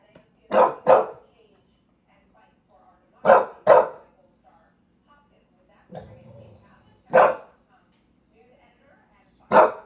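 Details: Bulldog ranting in New York City, barking in loud paired bursts, two quick barks at a time, repeated every few seconds with a low grumble between them.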